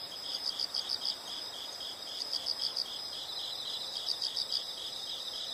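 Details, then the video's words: Insect chorus at moderate distance: bursts of five or six rapid high chirps recurring every couple of seconds over a continuous shrill buzz and background hiss. "the sound of insects"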